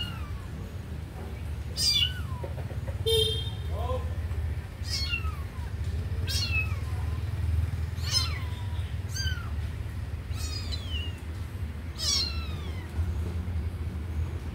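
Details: Young kitten watching a sleeping puppy gives a run of high, falling meows about once a second, with a brief tonal chirp near the start, above constant low rumbling background noise.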